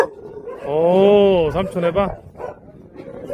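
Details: A Jindo dog of the Song Baekgu brothers, asked to "say uncle", answers with a drawn-out, rising-then-falling tonal howl lasting nearly a second, followed by two shorter yelping notes.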